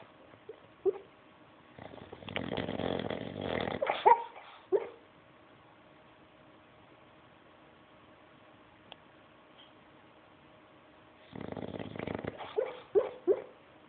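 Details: Bulldog giving a weird snore indoors: two bursts of rough, rattling breath noise with a few sharp snorts and clicks, separated by about seven seconds of near silence.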